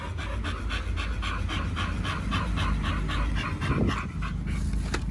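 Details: Close breathy panting by Pit Bulls Oliang and Nomyen, who ate raw duck feet at Dog Space Hotel during Chinese New Year 2020, in regular fast puffs, ending with a short rustle and a soft click over a low rumble.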